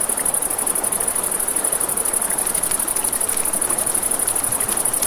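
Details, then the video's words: Crickets chirr at night near a river: a high, rapidly pulsing drone that throbs evenly throughout, layered over flowing water noise and light crackling of a campfire. "1 Hour of Crackling Fire, Crickets, Ambient Nature Sounds"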